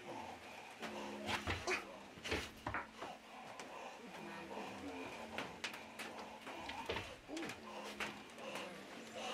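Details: Marti, an 11-month-old male Belgian Malinois in a prospective police dog program, vocal when in drive during table work; repeated low whining and whimpering tones with sharp knocks and clatter throughout.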